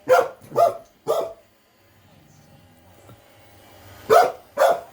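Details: Frightened little house dog, a female, reacting to a robot vacuum heading toward her: three quick sharp barks, a lull with a faint mechanical hum, then two more loud barks.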